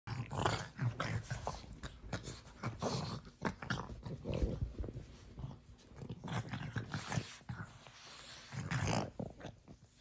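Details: Pug puppies, brother and sister, play-wrestling indoors in a small room: low rumbling growls and snorts in rapid, irregular bursts, with scuffling throughout and a steady high electrical whine.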